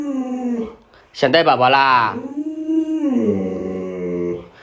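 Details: Pet Alaskan Malamute Luoluo urging its late-sleeping owner out of bed; after a burst of human speech, a sustained wavering howl-whine swells and sinks over a couple of seconds, indoors.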